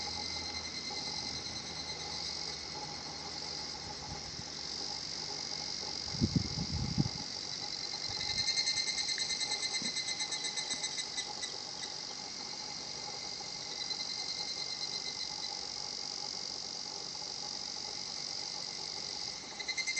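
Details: Higurashi cicada at Shinhotchian, a quiet natural spot: a steady high insect hum, with a faint fast pulsing kana-kana series in the middle, a few dull thumps before it and a brief burst near the end.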